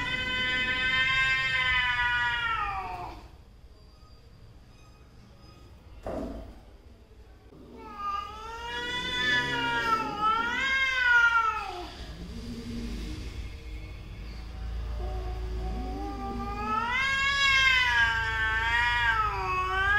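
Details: A mother cat and her daughter squabble with repeated wavering yowls, several drawn-out howls rising and falling in pitch, separated by quiet gaps and a few low grumbles.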